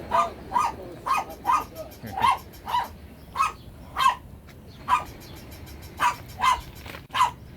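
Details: Steady series of crisp, high-pitched dog barks from a Shih Tzu, about fourteen evenly spread calls over a constant background hiss.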